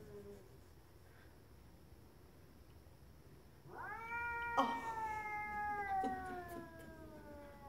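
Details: A neighbour's stray cat, sitting outside with a swollen tail, yowls once after a few seconds of quiet. The drawn-out, wavering wail is nearly four seconds long, rising slightly and then sagging. Faint clicks are also audible.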